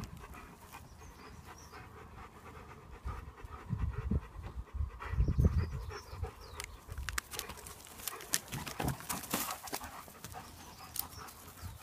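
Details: Four German Shepherds in a garden, one panting in quick, breathy, irregular bursts of about four per second, with rustling and handling noise throughout.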